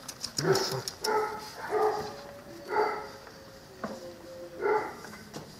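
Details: Sturdy nine-week-old Cane Corso puppies, offspring of Axa and champion Aquilla Dorata Belami, yelping in clear tonal whines about once a second, a thin drawn-out whine linking some calls, over low room noise.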